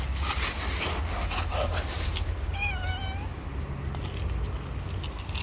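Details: A stray cat living on the street gives one drawn-out, slightly wavering meow lasting under a second, heard over a steady low rumble of background noise.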